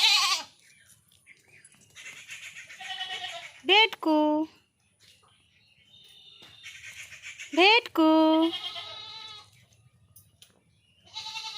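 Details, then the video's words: Goat troubled by mosquitoes and flies in a village bleats twice, short sharp wavering cries about four seconds apart, while a woman talks to it in Bengali throughout. "মশা মাছি ধরেছে"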